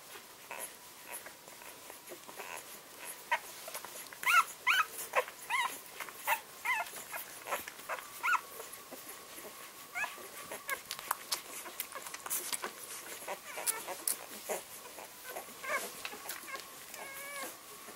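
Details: English springer spaniel puppies, a litter 11 days old, squeaking and whining indoors: thin, high, rising and wavering cries come in quick irregular bursts, several overlapping, with a longer quavering whine near the end over light rustling.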